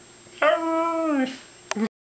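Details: A Siberian Husky answers the prompt "say I love you" with a sustained, steady howl-like tone of almost a second, curving down at the end, followed by a brief clipped yelp.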